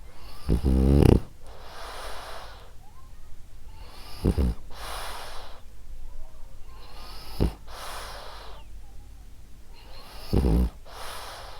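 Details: Female French Bulldog Ariva asleep, snoring: low rumbling snores with breathy hissing exhales, each breath cycle returning about every three seconds, a louder snort near the start.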